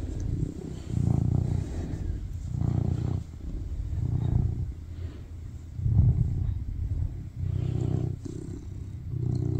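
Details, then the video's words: Tuxedo cat, male, purring loudly while cuddling on a lap as he seeks affection; low rumbling purr swelling and fading in steady breaths, roughly every one and a half seconds. "Sweetest cat purring loudly on my lap and cuddle"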